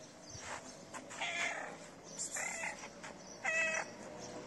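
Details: Homeless feral cat asking for food, giving a series of short, nasal meows spaced roughly a second apart; the last is the loudest and most tonal, with rustling and outdoor noise in between.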